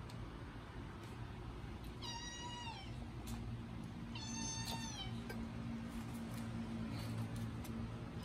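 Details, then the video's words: Naughty kitten meowing twice, around two and four and a half seconds, each call a clear falling-then-level harmonic wail, against steady low background hum and faint room noise. "Naughty kitten meow meow"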